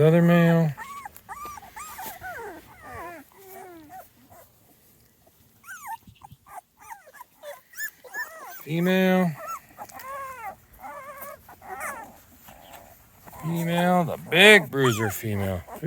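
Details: Outdoors for the first time, 2.5-week-old Small Munsterlander puppies, with a visiting older litter: bursts of high, bending whimpers alternate with louder, lower whining cries at the start, around nine seconds and near the end, with a quieter gap between.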